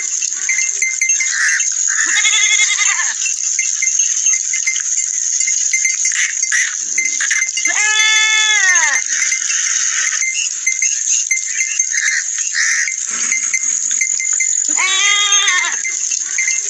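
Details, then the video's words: Four quavering bleats from goat or sheep, the loudest and longest near the middle, each bending upward then dropping, separated by gaps of a few seconds, with an unbroken shrill hiss and faint tinkling behind. "Goat and Sheep sound effects"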